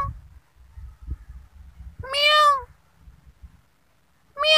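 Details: Kitten giving a loud, clear meow that rises then falls and lasts under a second, followed by the start of another after a quiet gap with faint low thumps.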